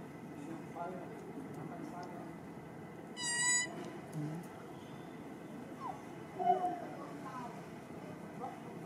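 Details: Baby monkey Rartin, aggressive and impolite toward his mother, lets out one loud harmonic scream lasting about half a second, shrill and strongly overtoned, midway through; faint squeaks and a low background hum around it.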